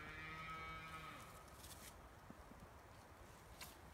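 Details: Highland cattle on a Finnish farm, in forest near a meadow: the tail of a harmonic moo fades out over the first second and a half, followed by quiet rustling and soft clicks.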